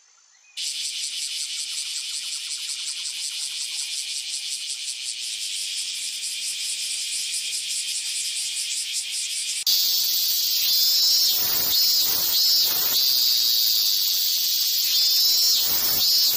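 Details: A cicada gives a loud, shrill, pulsing buzz that holds steady for several seconds; males make such sounds to attract mates or repel predators.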